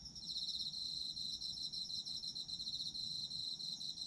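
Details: High-pitched autumn insect chorus with fast, rhythmic pulsed trilling over a constant shrill ringing tone, steady throughout with slight swells in loudness.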